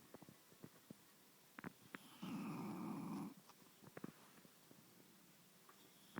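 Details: Rosie the English bulldog asleep and snuggled on a bed: a single rough, rattling snore lasting about a second, surrounded by soft clicks and small bedding rustles in a quiet room.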